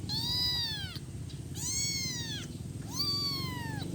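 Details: A week-old kitten cries for its mother with three long, clear, high meows, each swelling and dipping in an arch, separated by short pauses, with faint low hum behind.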